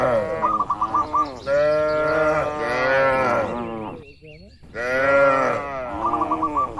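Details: Tame cattle in a herd roaming and grazing in a wide oil palm plantation; loud overlapping drawn-out moos with rich harmonic tones, rising and falling, broken by rapid pulsed chattering notes and a brief quiet gap before mooing resumes.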